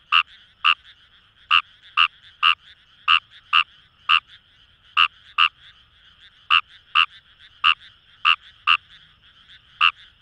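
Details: Paddy-field frogs, Fejervarya kawamurai, at Itoshima in Fukuoka Prefecture, Japan, give sharp nasal croaks one after another at irregular intervals, about eighteen in ten seconds, with a steady background chorus of distant callers.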